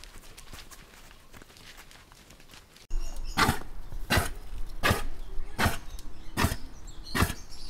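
A reindeer gives short, breathy, low grunts repeated at a steady pace, slightly under a second apart.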